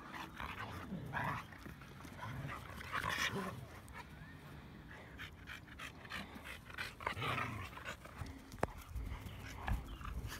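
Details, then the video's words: Saint Bernard at a dog park barking at a person, loud harmonic barks in short bursts near the start, middle and end, separated by quieter stretches of outdoor noise, panting-like rustle and faint voices. "Saint Bernard Barks Like Cujo!"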